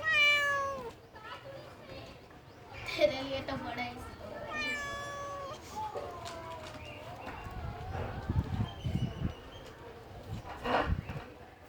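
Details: Cat in a washing machine giving a series of loud, wavering meows, the first long and falling, followed by more drawn-out cries, mixed with people talking and some thumping noise later.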